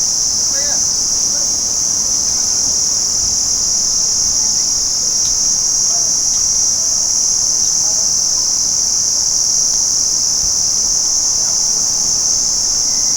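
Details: Crickets calling by day in a dense, unbroken high-pitched trill, many insects overlapping into a steady shimmering drone with no pauses for the full length.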